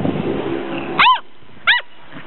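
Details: Six-week-old Gordon Setter puppies at play in the sunshine, 2009: two sharp high-pitched yaps about half a second apart, following a murmur of low background noise.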